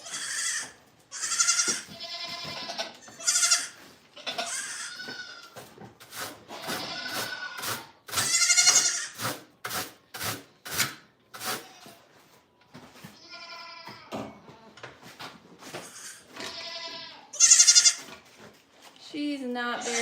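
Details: Goats at The Willful Goat Farm & Home bleating over and over, nasal and wavering, some long and strained, others clipped, with short quiet gaps between calls and scattered knocking sounds.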